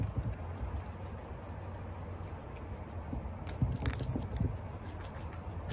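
A guinea pig chews celery in quick, uneven crunches, about four bites a second. The sounds are soft, low and crackly, with a few sharper snaps of tearing stalk.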